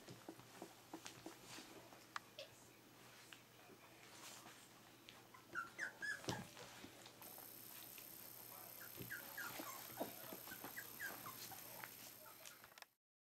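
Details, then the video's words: Berger des Pyrénées puppies at three weeks old make soft, high, brief whimpers and squeaks scattered through a quiet room, with a clear cluster near the middle, faint rustling and a low steady hum. "Jomgarden's Berger des Pyrenees puppies 3 weeks"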